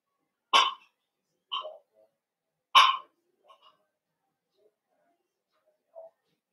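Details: Blenheim Cavalier King Charles Spaniel puppies, one of a litter of five born at New Year, indoors in a puppy pen: two sharp barks about two seconds apart, each followed by softer yips, then a last faint whimper.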